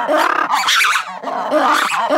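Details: Two zoo black-and-white ruffed lemurs give a loud, harsh, raucous alarm call in rough, pulsing bursts, a response to a visual or auditory disturbance.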